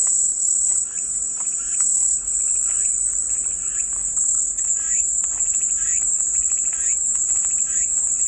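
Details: Calming white-noise cicada chorus: a dense, constant high buzz over about eight seconds, with faint, quick bird chirps repeating softly underneath.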